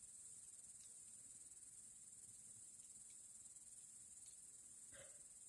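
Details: On a warm August evening in the Urals, crickets sing near a campfire, a continuous high, thin trilling band that holds steady, with a brief sharp crackle or knock near the end.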